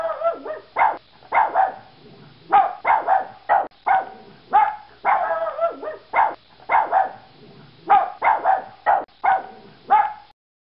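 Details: Yorkshire Terrier barking in repeated bursts: sharp high yaps in quick clusters of two to four, mixed with longer whiny, wavering bark-howls, over about ten seconds with brief quiet gaps.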